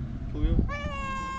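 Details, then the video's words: Hungry feral cat among many on a sidewalk, meowing loudly to beg for food: a short lower note, then a long, steady, even-pitched cry held to the end, over low street rumble and background noise. "Many Hungry Cats And Kittens Meowing Loudly"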